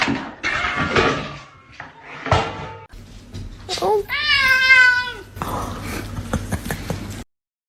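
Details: A house cat lets out a drawn-out, wavering meow that rises and then falls over about a second, with people talking before and after indoors.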